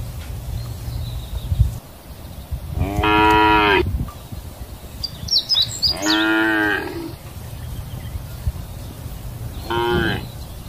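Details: Cow eating grass in a countryside field gives three drawn-out, nasal moos, each rich in harmonics and about a second long.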